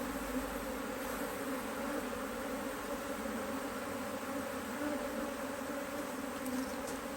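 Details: Honey bees at an Australian-designed HiveIQ beehive in Australia, almost mid-Autumn 2023, opened to add a box of empty frames after fine weather with the bees working hard; a dense, steady droning hum holds without a break throughout.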